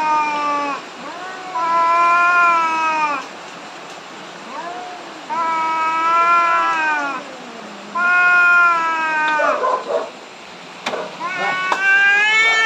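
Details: Two angry cats on the verge of a big fight, about to be separated; long drawn-out harmonic yowls, each lasting two to three seconds, rising and wavering, repeated in four bursts with short quieter gaps between.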